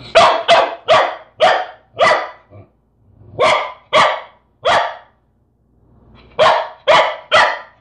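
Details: A corgi confronting a peanut butter jar barks in sharp, rapid bursts, grouped in quick runs with brief pauses between.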